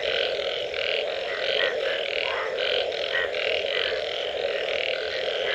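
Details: A dense frog chorus after rain: a steady low drone overlaid with rhythmic, pulsing croaks that repeat in quick bursts.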